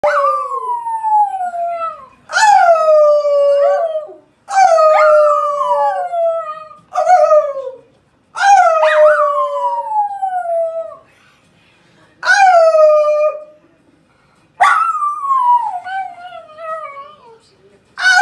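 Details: A female Miniature Schnauzer in Greece, which loves howling, howls in long, wavering, falling notes, each lasting about two seconds.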